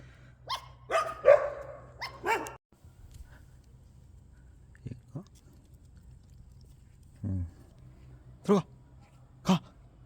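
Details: A puppy, given back three hours after adoption, barks in a cluster of sharp, loud barks over the first two seconds, then falls quiet before three more single barks spaced about a second apart. A person sighs and speaks briefly beforehand.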